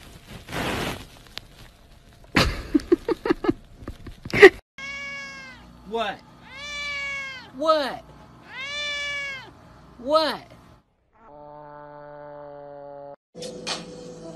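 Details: Cat in a funny pet compilation giving a run of four or five drawn-out, arching meows that rise and fall, one lower and shorter. Brief voices and clattering come first, and a steady electronic tone follows.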